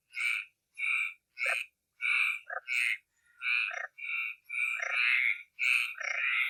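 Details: A frog gives loud, nasal, honking croaks at night in an uneven series, some doubled, with no background noise.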